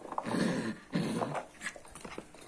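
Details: Toy Poodle Popo, a pet dog being taught to fetch a toy, gives two low rumbling growls of about half a second each with a short gap between, then faint clicks and shuffling in a small room.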